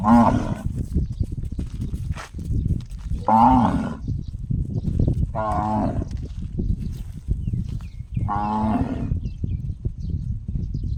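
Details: Cow giving an unusual gong-like call: four short, harmonic, ringing bursts spaced about two to three seconds apart, each under a second long, over a constant low rumbling background noise.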